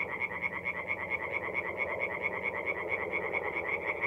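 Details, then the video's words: Night chorus of tree frogs at a forest pond in North-East Italy in mid-April: quick, regular croaks repeated several times per second over a broad murmuring background of more distant frogs. "relaxing forest pond by night with singing tree frogs"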